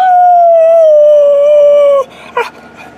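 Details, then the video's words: Pet Alaskan Malamute named Tarzan sings one long, steady howl of about two seconds that sags slowly in pitch before stopping abruptly, followed by a brief muffled noise. "Tarzan performing, showing off his beautiful voice"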